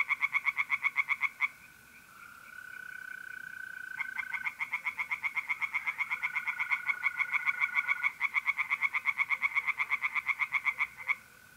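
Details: Singing tree frogs at a pond by night in mid-April, north-east Italy; fast, evenly pulsed rattling croaks, a short burst, a pause, then a long unbroken series, with mole crickets trilling continuously beneath.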